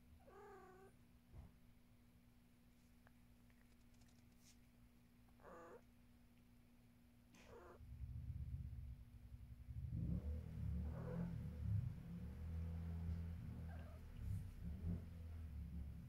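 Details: Pet cat making a short wavering meow, then two fainter meows, before settling into a deep, rumbling purr that grows louder and continues to the end, with a faint background hum.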